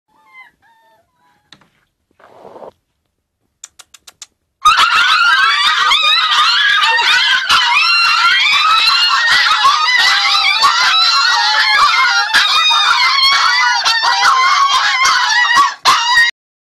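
Husky puppies greet their owner with a chorus of overlapping, wavering whines, yelps and howl-like cries.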